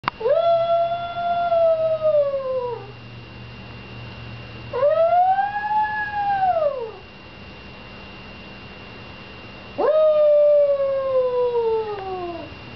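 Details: A male Papillon howls when his owner's father leaves the house, giving three long sustained howls of about two to three seconds each, rising slightly then sliding down, separated by pauses with steady background hum.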